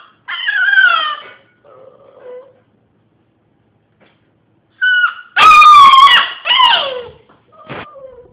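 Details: Domestic dog indoors howling: a sliding, falling howl, a quiet whine, then a silent gap before a loud, wavering, harmonic howl that bends downward and ends in short yips and whimpers.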